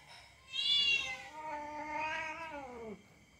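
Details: Domestic cat play-fighting with a young dog indoors, giving one long harmonic-rich caterwaul that starts high and bright, then slides slowly downward and fades over about two and a half seconds.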